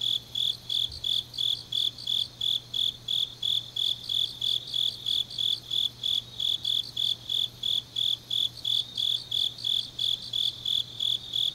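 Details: Autumn grass insects singing deep at night in Changnyeong, South Korea, a high, shrill pulsed chirp repeated about three times per second in a steady, unbroken train over a faint low hum.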